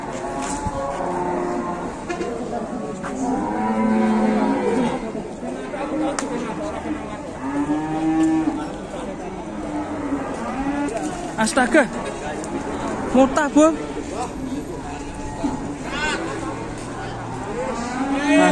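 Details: Big cattle crowded together at an Indonesian livestock market: repeated arching moos rise and fall over eighteen seconds, several overlapping callers, amid human chatter and occasional clatter.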